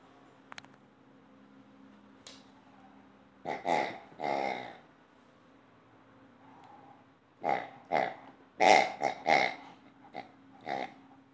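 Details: Two-year-old female Old English Sheepdog at play, mostly quiet at first with a faint click, then a pair of drawn-out rumbling grunts and, after a pause, a rapid string of harsh, growly huffs.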